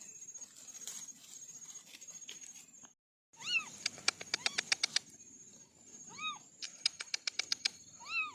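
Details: Kittens from a family of four orange cats giving short rising-falling meows in small bursts, mixed with rapid sharp clicking taps and a brief silent gap.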